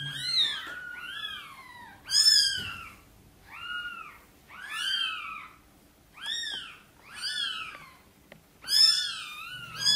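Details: Indoor meowing where mother cat Sonny wants help moving her tiny kittens into the nest. Clear, high, bowed mews follow one another in quick bursts, some doubled, with brief low murmurs between them.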